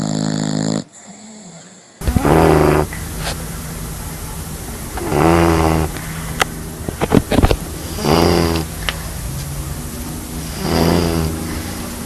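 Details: Dogs snoring loudly, heard as rough, buzzing snores with layered tones. Each lasts about a second and repeats roughly every three seconds. A short separate sound opens the clip, and laughter comes just before.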